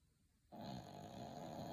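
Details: Sleeping dog letting out a loud, rattling snore that starts after a half-second pause and holds steady, rough and buzzy, for over a second.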